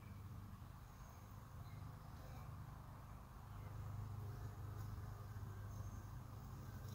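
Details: Honey bees at a hive entrance about 45 minutes after robbing, at 5:15 pm. A low, steady droning hum runs throughout, swelling louder in the second half, with faint brief ticks above.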